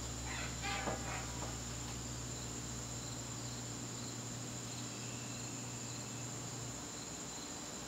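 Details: A continuous high, even trill from crickets fills an evening garden in September, a fainter second tone sits lower, and a short clatter at the start gives way to a steady low hum.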